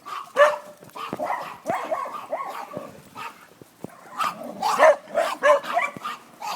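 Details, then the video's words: Pet dog Benny barks at a chihuahua in a rapid, uneven series of sharp barks and yips. Some are high and clipped, others lower and drawn out, with short pauses between bursts. "Benny barking at a chihuahua"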